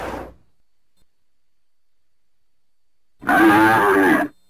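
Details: Bull giving a single rich, harmonic bellow lasting about one second, preceded by a brief cut-off sound and a long stretch of silence.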